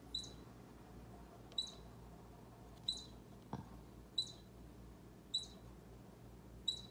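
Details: Seven sharp high squeaks from a baby squirrel facing Bushy the orange cat, coming about once a second in a steady series, with one soft click midway and a faint background hum.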